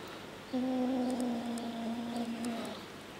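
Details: Pepsi, a kitten refusing to share shrimp, gives one steady low moaning growl of about two seconds with a slight waver, indoors; faint clicks sound in the background.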